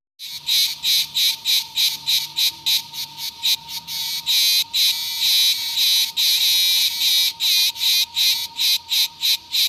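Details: Cicadas singing: loud, harsh buzzing pulses repeated rapidly, some merging into longer rattling stretches, with a thin steady whine running beneath and faint soft harp notes low in the background.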